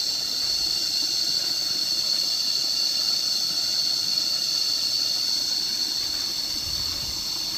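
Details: Constant piercing buzz of cicadas, recorded while lying down outdoors to listen on a nature walk; the high whine never pauses and stays even in loudness from start to finish.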